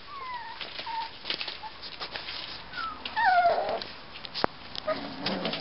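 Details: Six-week-old Miniature Schnauzer puppies whimper with thin, high squeaks that slide downward.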